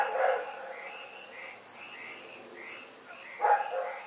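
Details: Rex, a dog heard at night on February 27, 2018, gives two quieter barks about three seconds apart, partly blended into a dense background of repeated high chirping.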